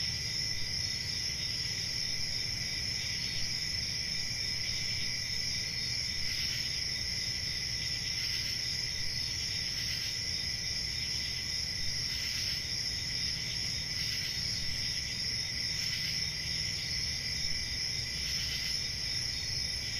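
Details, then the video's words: Crickets trilling on a calm country summer night: a steady shrill chorus in two high bands, with brief louder chirp bursts roughly every two seconds in the second half, over a low rumble. "Relaxing Cricket Sounds For Sleeping"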